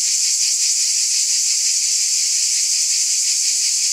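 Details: Many cicadas calling together on a summer night, a bright, hissing wall of sound with a faint rapid flutter and constant volume.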